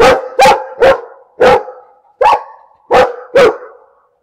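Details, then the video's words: A dog barks steadily, seven loud resonant barks spaced about half a second apart, each with a brief tonal ring, in a quiet setting. "Bellender Hund - Hunde bellen"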